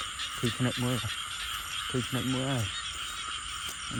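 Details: Two clear bouts of frog croaking, each a quick series of three or four nasal, pulsed notes, rise above a dense, continuous buzz of insects.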